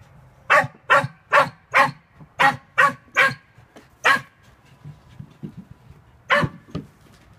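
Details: Sealyham terrier barking during earthdog practice while tunnelling for a rat, December 2016; a quick run of eight sharp barks roughly every 0.4 seconds, then a pause and two more barks near the end.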